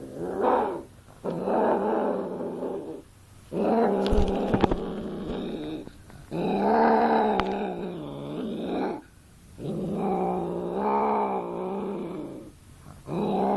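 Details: Domestic cat giving long, drawn-out, wavering yowls, each lasting about two seconds, separated by short pauses, with a few sharp clicks in between.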